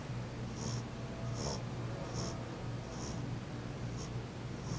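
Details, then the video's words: Sleeping French Bulldog named Jenny snoring; soft airy snorts repeat evenly about every 0.8 seconds, each a brief hiss, with a steady low hum running underneath in a quiet room. "snoring french bulldog"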